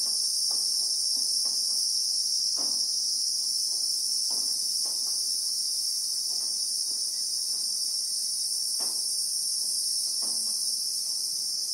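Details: Christmas beetles (Anoplognathus) droning in acacia bushveld, South Africa: a relentless high, even whine with occasional soft knocks and clicks at irregular intervals.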